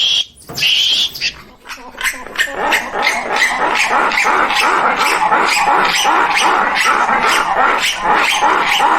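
Squirrel monkey giving a rapid series of harsh, chattering chucks after a brief high whistled peep.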